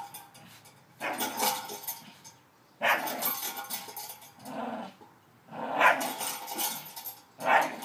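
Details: Staffordshire Bull Terrier playing on a new spring pole given as a Christmas present; bursts of rough growling and barking, each lasting under a second to a second, broken by short pauses, with rattling and clattering from play.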